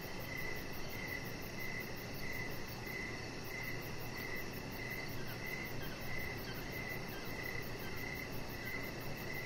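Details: Crickets chirping in the evening beside a deck where a chihuahua puppy named Rocket lies under decoration lights. Short chirps repeat steadily, about three per second, over a faint high pulsing trill and a constant low rumble of background noise.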